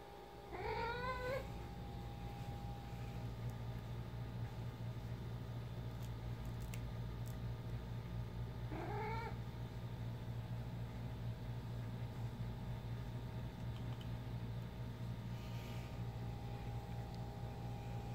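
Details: A pet cat mumbling while playing fetch with her favourite toy: two short rising, harmonic meow-like calls, one at the start and another about eight seconds later, over a steady low indoor hum.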